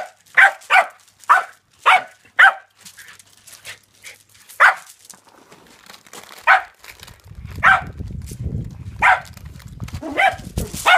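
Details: Todd the reTodd, a dog chasing reflections and shadows on a yard wall, filmed on an iPhone 5s, lets out a run of quick yipping barks, then scattered barks over a low rumbling background noise.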